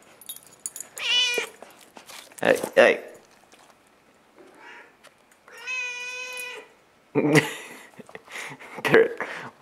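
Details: Indoor domestic cat meowing in a hallway in the morning; one clear drawn-out meow in the middle among shorter, rougher meows, with clattering and handling noises around them.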